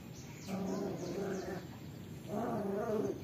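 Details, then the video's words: Melen and Oso, 35-day-old Belgian Shepherd x German Shepherd cross puppies: two drawn-out, harmonic whining cries, each about a second long and wavering in pitch, separated by a short pause, over faint outdoor background noise. "melen y oso 35 días , cruza pastor belga y pastor alemán"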